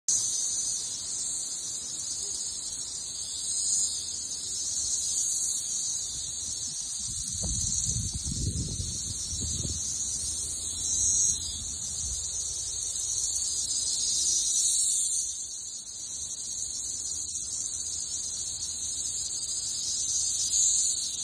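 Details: Periodical cicadas by the thousands swarming a Missouri backyard tree in summer 2024, massed into a dense, unbroken high-pitched droning chorus that pulses gently in loudness throughout, with a brief low rumbling of wind or handling partway through.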